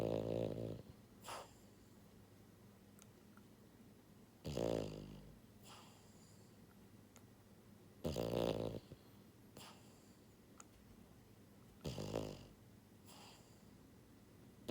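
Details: Pied female French Bulldog, born January 2022, a pet dog sleeping and snoring heavily: loud, low, rasping snores with buzzy harmonic layers, each about half a second long, recurring roughly every four seconds, with softer breaths between.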